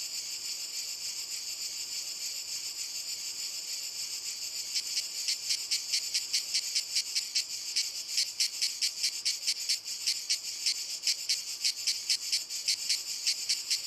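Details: Cicadas in walnut trees: a steady sizzling drone for the first five seconds, then sharp throbbing pulses break in, about two per second, and keep building through the rest.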